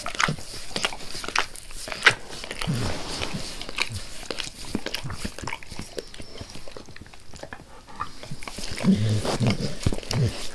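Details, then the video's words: Dog named Max eagerly licking his owner's face indoors, recorded close up for ASMR without talking; wet smacking and lapping clicks come in rapid irregular bursts, with some low thumps and a louder stretch near the end. "Max Licks | Face Part Tres | ASMR DOG LICKING"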